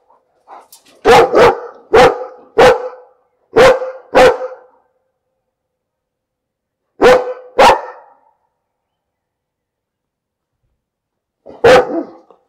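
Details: Domestic dog barking in irregular bursts: a quick run of five sharp, mid-pitched barks, a pause, a close pair, then one lone bark after a longer silence. No other sounds intrude.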